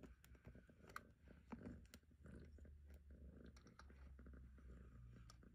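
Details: Murka, a long-haired female cat, purring in contentment on her human's lap during a brushing session: a low, steady rumbling purr runs through the clip, overlaid by scratchy brush strokes and soft clicks.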